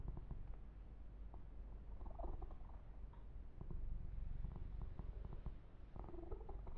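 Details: Yumak, a pet kitten, purring close to the microphone while being massaged and groomed; a low rumbling, steady purr with soft clicks and rustling of fur and hands throughout.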